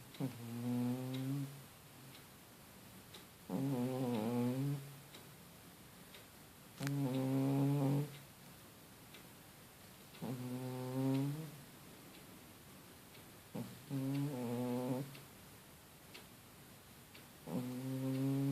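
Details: Sleeping male domestic cat snoring: about six harmonic, nasal snores, each lasting roughly a second, recurring every three to four seconds, with quiet breathing pauses between them in a calm indoor setting.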